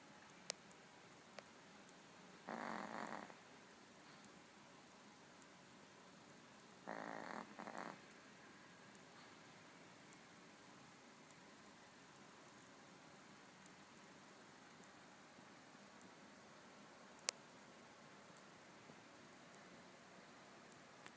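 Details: Little dog asleep during a nap, snoring loudly: two harsh, rasping breaths about five seconds apart early on, then quiet indoor background with occasional small clicks.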